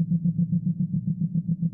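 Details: A male eastern double drummer (Thopha saccata) drums up female attention with a dense calling song of about 220 or more pulses per second, slowed down here into a deep, throbbing drone of steady pulses.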